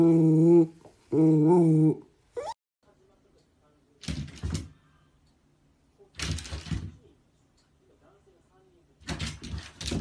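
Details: Two clear harmonic meows from a cat in quick succession at the start, each under a second, wavering slightly in pitch, then several dull broadband thumps and knocks with quiet gaps.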